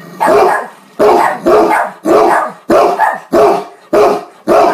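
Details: A male Great Dane barks at his owner, deep booming woofs in quick succession about every half second, the howling type of bark the breed is known for.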